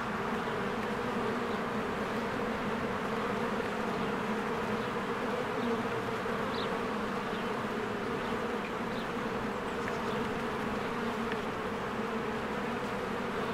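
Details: Worker honeybees stream in and out of a hive while trees green in spring. The wall of buzzing stays constant, broad and even, and a few faint, brief high chirps from a bird surface over the drone midway.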